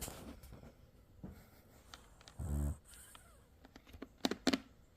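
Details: Sleeping French Bulldog, eyes open, giving a single short, low, buzzing snore midway through, surrounded by scattered clicks, taps and small rustling noises in a quiet indoor space.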